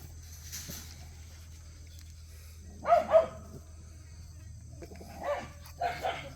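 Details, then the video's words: Cheondol's puppies at play: after a quiet, humming start come a pair of sharp, high yappy barks near the middle, then three more short yips toward the end over a steady low hum. "천돌이 강아지들"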